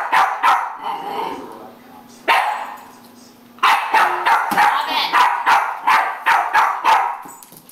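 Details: Jack Russell Terrier barking at a broom, with quick strings of sharp barks after a quieter stretch holding a low steady hum; the barks come in fast runs, several per second.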